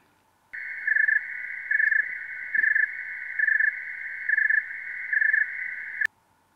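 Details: Snowy tree cricket, also called the thermometer cricket because its chirp rate tracks temperature, chirping slowly when cold: soft trilled pulses spaced under a second apart.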